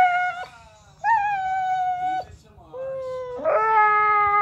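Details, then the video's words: Seven-month-old Pocket American Bully dog whining: long, high, tonal whines that hold steady or dip slightly, three drawn-out cries separated by brief pauses, with a faint low hum in the background. "Pocket American Bully whining"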